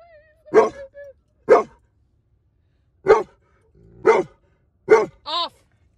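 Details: Giant Schnauzer pups during public distraction training on a field trip, barking in short clipped bursts about once a second, five barks then a brief higher whine, with a faint whistle-like tone early on.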